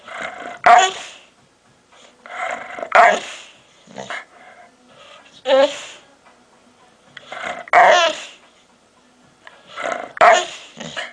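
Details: Dog making strange noises: a series of gravelly growls, each ending in a sharp bark or yelp, repeated about five times over the stretch with brief pauses.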